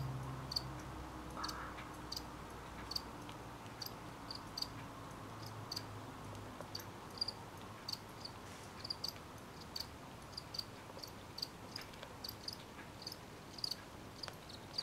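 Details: Crickets singing at night: short, high, thin chirps repeated irregularly every half second to second over a steady low rumble, with a brief murmur early on.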